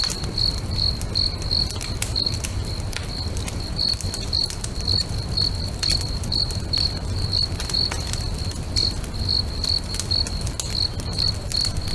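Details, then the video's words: At a lakeside bonfire at sunset, crickets keep up a continuous shrill pulsing trill, the chirps evenly spaced and unbroken, while the fire crackles with frequent sharp snaps and a deep low hum underneath. "FIRE & CRICKETS AMBIENCE"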